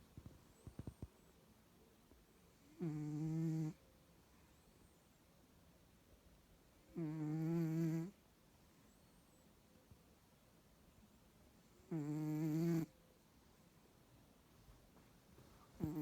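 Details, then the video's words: Bengal cat snoring loudly: regular low, rasping nasal breaths about a second long, repeated roughly every four to five seconds, with a few soft clicks and a quiet room between. "Snoring Bengal Cat - noisy awake and noisy asleep"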